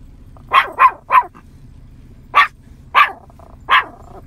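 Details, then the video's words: A 9-month-old Yorkshire Terrier barks at cows scattered in a field, calling them in: a quick burst of three sharp, high barks, then three more single barks spaced roughly half a second apart, over a low rumbling background. "Adorable Yorkie preaching to and calling in the cows !"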